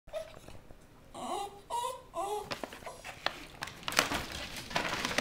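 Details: Norfolk Terriers Boba Fett and Jessa open a Christmas present indoors on Christmas morning 2011; a series of high, wavering whines rise and fall over a few seconds, followed by scattered sharp clicks and rustles in a small room.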